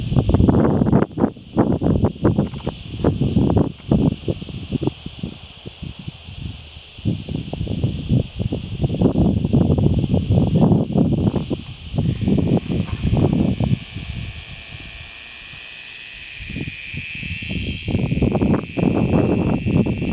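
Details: A male grey cicada (Cicada orni) in Malta in summer sings its steady, high calling-song drone, recorded close up, under loud rustling and wind noise.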